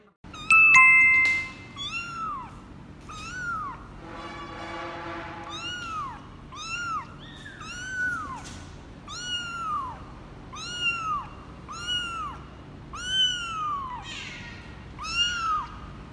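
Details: Kitten 24 days old, offspring of Laki, a former stray mother cat in Cambodia, meowing during its first weigh-in on 24 January 2020: high arched meows about every second, repeated steadily, with a chime near the start and a noisy burst midway.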